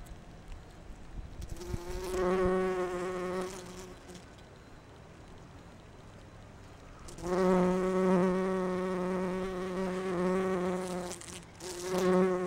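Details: Low, rich humming of bumblebee wings while collecting pollen on rhododendron, a fairly quiet opening then a buzzing bout around two to four seconds, and a longer, louder sustained drone from seven seconds on.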